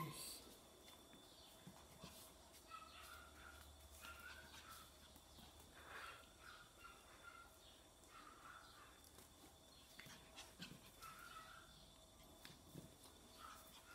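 Volpino Italiano puppies give soft, high whimpers in short repeated bursts.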